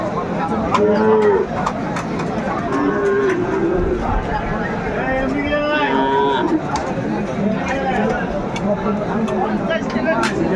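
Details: Sahiwal bulls at a cattle market in Brahmanbaria, Bangladesh, May 7; several harmonic, drawn-out moos rise and fall over busy crowd chatter, with traders talking prices in the background.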